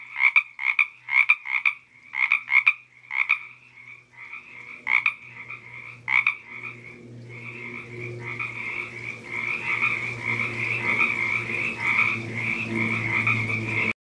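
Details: Frog croaks on the Santa Ynez trail in Toganga State Park, first as separate raspy pulses, then merging into a continuous grating chorus as broadband rushing noise and a low hum grow louder.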